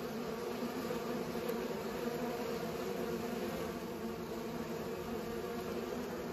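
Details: Pollinating bees keep up an unbroken low buzzing drone that stays level and steady from start to finish.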